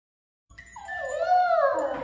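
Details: Golden Retriever puppy giving a drawn-out, wavering howl that rises slightly and then slides downward, a clear tonal whine lasting about a second and a half, with faint background music.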